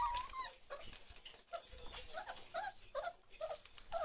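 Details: Chocolate Labrador Retriever puppies, 34 days old, indoors in a small room: repeated short high whimpers and yips, several overlapping, rising and falling in quick bursts roughly every half second, with soft rustling between.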